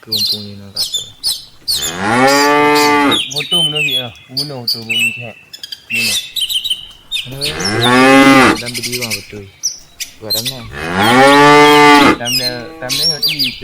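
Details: Herd of tame village cattle returning to the farm pen in the afternoon, some lagging behind to graze: three long, resonant moos, one after another, with twittering birds filling the gaps between them.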